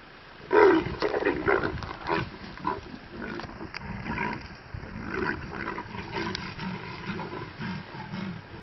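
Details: Two male leopards meeting give harsh, rasping growls and snarls in irregular bursts. The loudest outburst comes near the start, followed by lower, rumbling grunts and huffs that continue throughout.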